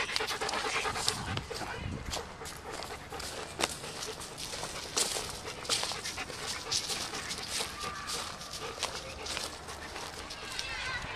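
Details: Solid black male German Shepherd Dog, one week short of two years old, filmed 18 July 2014: rapid, breathy panting in steady rhythmic bursts throughout, with a person's voice speaking now and then over it.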